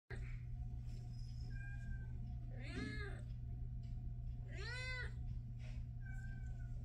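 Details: Domestic Shorthair cat up for adoption, recorded on the morning of 14 August 2024, gives two loud, drawn-out harmonic meows that rise then fall, with a few faint shorter mews between them, over a steady low hum.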